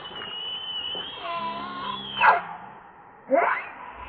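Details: Hungry baby monkey Lucie whimpering for milk: a long, thin, steady whine that wavers slightly, followed by two short, harsh, breathy squawks about a second apart.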